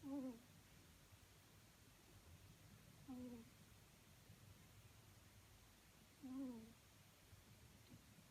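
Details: Loud morning snoring from a ferret asleep indoors: brief nasal, whistly whines repeated roughly every three seconds in a steady breathing rhythm, with a faint low hum behind.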